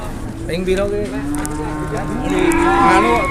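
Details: Large market cattle in Indonesia, a jumbo cow brought in for sale: a drawn-out, level moo that swells louder toward the end, overlapped by people talking nearby.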